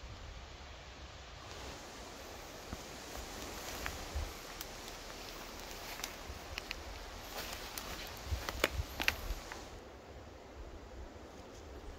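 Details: Footsteps crunch and leaves rustle on a forest floor in late summer, with scattered clicks over a quiet outdoor background.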